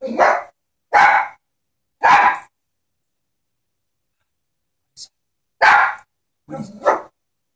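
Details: Fearful pet Chihuahua barking at a stuffed animal horse: three sharp barks about a second apart, a long pause, then two more barks, the last one doubled.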